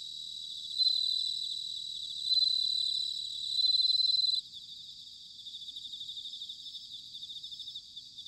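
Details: Bell cricket singing in autumn at Sanuki, Chiba Prefecture, Japan, captured with ZOOM H6 and TASCAM DR-05X recorders: three loud, ringing high trills about a second long, then a softer steady background chorus of pulsing chirps.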